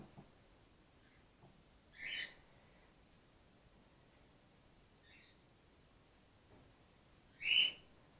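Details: Female grey-headed flying-fox pup named Gwickle, in care on day two after her mother was trapped in an empty swimming pool; two isolated high squeaks several seconds apart, the later one sharper and louder, in a quiet room.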